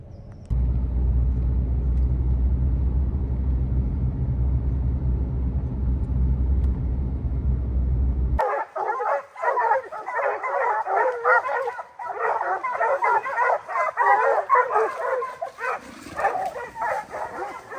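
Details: Bear-hunting dogs on the opening day of black bear training season in July 2024: a steady engine drone gives way to a dense, overlapping chorus of rapid barks and bays that continues to the end.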